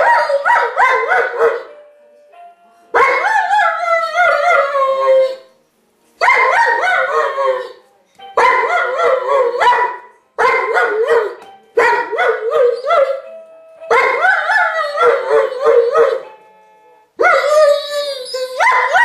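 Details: Giant schnauzer howling in a series of wavering, harmonic-rich bouts of two to three seconds each, separated by short silences, with pitch sliding up and down between howls.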